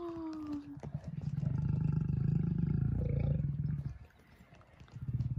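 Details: Lion in a group including lioness Simona and males Sultan and Girey: a deep, throbbing, rumbling growl held for about three seconds, then a pause and a second low rumble. Thin tonal whistles sound briefly at the start.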